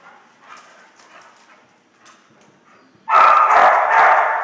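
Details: Missy and Sheila, two dogs at play at work, let out one loud, harsh, sustained bark-growl after a few seconds of faint background sound.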